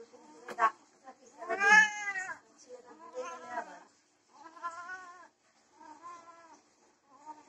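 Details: Desi and Persian cats during mating: drawn-out harmonic yowls. One loud, rising-then-falling wail comes early, followed by several shorter wavering moans with quiet gaps between them.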